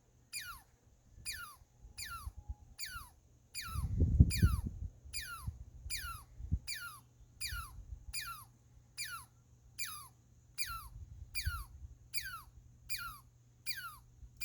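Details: A squirrel gives a long run of sharp, high squeaks, each sweeping steeply downward like a laser 'pew', about three per second and about seventeen in all, over a low rumbling background.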